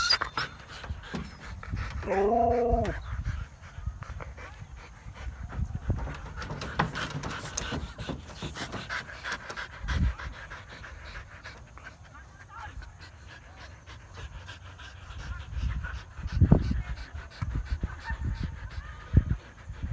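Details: Siberian Husky out exercising in a field in Thailand: a brief, rising whining yelp early on, followed by steady rapid panting, footsteps and scattered thumps and rustles outdoors.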